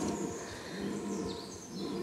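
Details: A white red deer stag in an animal reserve at Mugron, Landes, gives a deep, hoarse rutting bellow, a low drawn-out roar, in autumn (October) during the rut, courting females.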